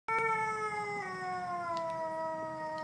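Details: A gray wolf at the Fresno zoo on Thanksgiving gives a long, smooth, mournful howl that slowly slides downward in pitch.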